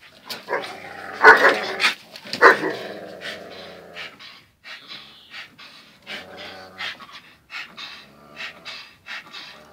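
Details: Daily fierce tussle between two dogs, Zion and Tyson: two strong snarling bark bursts early on, then softer scattered growls, snorts and panting fading out.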